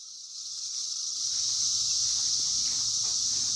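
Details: Cicadas out during their 2021 emergence: a dense, high-pitched droning chorus that swells from quieter to a steady, unbroken buzz and holds level throughout, with no other clear sounds.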